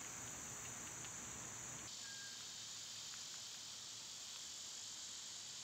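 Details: Cicada chorus in summer, a loud continuous hissing buzz that abruptly broadens and grows fuller about two seconds in, then holds steady, with one brief thin whistle just after the change.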